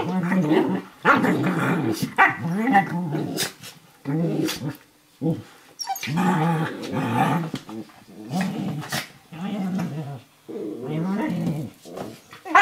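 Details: Eurohound puppy Firenza, about 11 weeks old, and Brio, a 4.5-year-old Nova Scotia Duck Tolling Retriever, wrestle in play on a kitchen floor, trading rough snarling growls in repeated bursts roughly every second or two, with rustling between.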